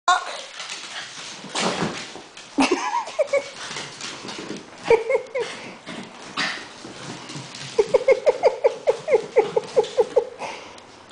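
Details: Young puppy pestering a seven-year-old dog indoors; a run of short, evenly spaced high yaps fills the second half after mixed vocal sounds, with a person talking over the start.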